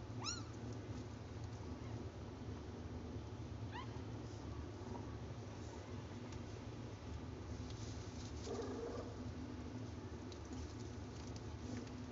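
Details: Mother cat with her tiny kittens; short, thin, rising mews come singly near the start, around four seconds and again near eight and a half seconds, over a steady low hum and soft background rustle.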